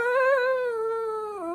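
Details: Ratchet, a male pet dog indoors, 'talks' when his owner asks him to say 'I love you'. He answers with one drawn-out, tonal, moaning vowel that holds steady and then dips and wavers at the end. Afterwards he is praised as a good boy.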